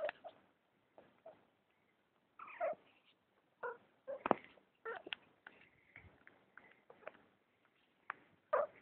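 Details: Persian cat indoors, clinging to a person's arm, giving a series of short, irregular meows with bright harmonic tones, some rising and falling, spread across the recording between quieter handling noises.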